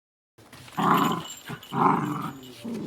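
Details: Chip, a female blue-and-tan Miniature Dachshund born in 2019, barks while reacting to dog voices heard on TV or outdoors. Two low, rough, growly bursts about a second apart, then a softer third, indoors.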